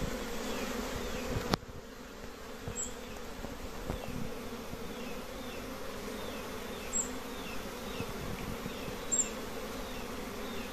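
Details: Continuous low hum of many honey bee colonies at simple nests, a soft droning buzz broken by a sharp click near the start and a few faint high ticks.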